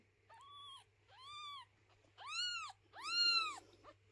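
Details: Four arched meows from a mother cat relocating her kittens and keeping people from tidying their house, each call louder than the one before, with short pauses between and a low hum beneath.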